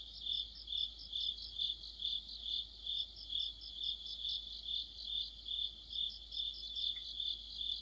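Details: Crickets and companion insects in a deep-autumn chorus. Bright, evenly spaced chirps come roughly twice each second, layered over a higher shimmering trill. There is a faint short chirp near the end and a quiet hiss throughout.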